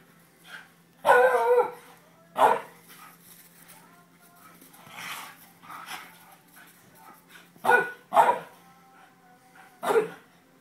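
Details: Greyhound April having fun playing helicopters with her mate Rupie; loud harsh barks and yelps, one long burst then scattered single barks and a tight pair near the end, with a low steady hum underneath.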